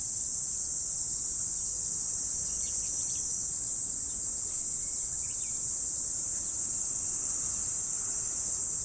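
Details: Autumn insects calling in the morning, a dense unbroken high-pitched hiss-like trill held steady throughout, with a few faint, scattered chirps beneath it.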